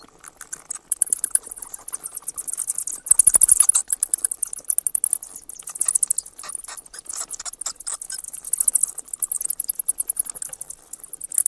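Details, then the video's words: Bats calling in rapid trains of high, sharp clicks and squeaks, bursts of quick pulses coming in waves over several seconds with brief pauses, no other sounds. "เสียงค้างคาว Bat sounds"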